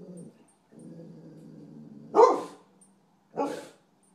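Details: Raccoon-hunting dog, Sunny, holds a low, even baying tone, then gives a sharp, loud bark and a second shorter bark about a second later.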